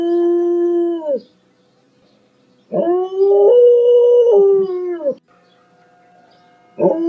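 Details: Loud dog howl in a series of five: a steady held note about one second, silence, then a longer wavering howl that bends upward mid-way and falls off, with a new howl starting at the end.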